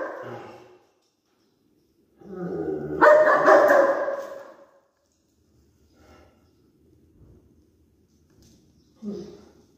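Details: An adult female German Shepherd gives a harsh, rising growl-bark burst to correct an overexcited female Bull Terrier.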